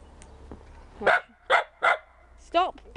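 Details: Pembroke Welsh Corgi barking while playing in snow; three quick sharp barks about half a second apart, then a woman's voice telling her to stop barking or go inside.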